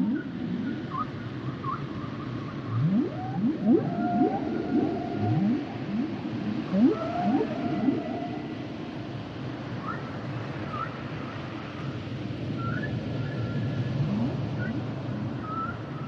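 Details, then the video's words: Humpback whales singing: repeated low upsweeping moans and groans interleaved with higher whistled squeals and short rising chirps, the phrases overlapping in a continuous, echoing underwater chorus. "Sounds and Songs Of The Humpback Whales"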